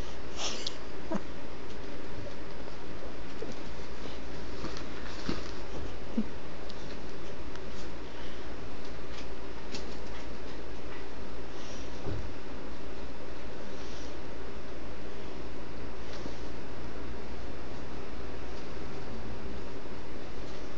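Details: A Yorkshire Terrier fighting with a handbag growls in a low, steady rumble, with scuffing and rustling noises throughout.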